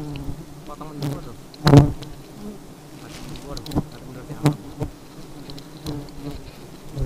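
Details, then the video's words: Honey bees behaving aggressively, giving a constant low drone layered with faint passing whines, broken by a loud knock near the start and several softer clicks. "Lebah Madu Sangat Agresif"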